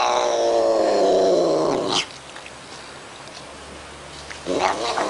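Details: A cat making weird noises: one long, drawn-out, harmonic-rich yowl lasting about two seconds that wavers and slides downward in pitch, then near-silence, and a short fainter cry just before the end.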